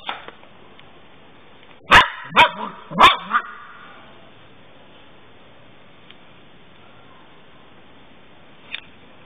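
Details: Golden Retriever puppy, a young female, giving a quick burst of three or four sharp barks around two seconds in, then quiet room noise with one faint click near the end.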